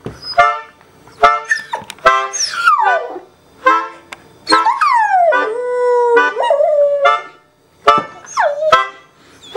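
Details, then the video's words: Female dog singing along to reggae music, giving short barking yelps mixed with wavering, falling howls, some sliding down steeply, broken by brief pauses. "Awesome Reggae-Singing Dog!"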